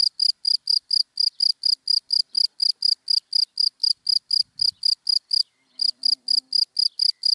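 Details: A cricket calling from dry grass in daytime, giving a steady run of shrill, high-pitched chirps, about four per second, with one brief pause partway through. The chirping stands alone against near silence.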